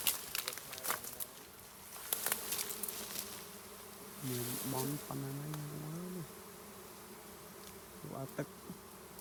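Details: Honey bees at a hive opened to collect honey during beekeeping work; a steady low hum runs beneath scattered clattering knocks, with a person's voice speaking briefly midway.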